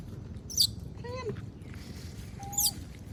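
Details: Monkey begging for food while others eat peanuts: two short tonal cries, the first wavering with harmonics, the second a flat drawn-out whine, with sharp clicking sounds nearby and low background hum.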